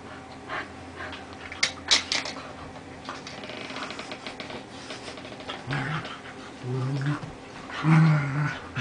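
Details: Molly, an 11-year-old Lhasa Apso, playing with another dog for the first time; scuffling and panting give way to low rumbling growls repeated in short bursts toward the end.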